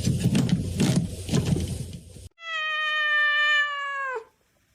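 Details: Domestic cat letting out a long, steady, strained meow that drops at the end, following a burst of rustling and handling noise.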